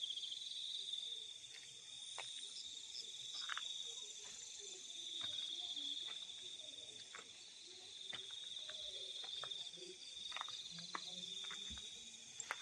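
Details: Night chorus of crickets in fields, a continuous high-pitched ringing trill with no pauses, overlaid by scattered faint clicks and ticks from other small sounds nearby.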